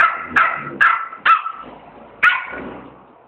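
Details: Two-month-old schnauzer puppy protesting indoors after tearing up newspaper and making a mess: four sharp, bright barks in quick succession, then a pause and a fifth bark, each ending in a short fading tail.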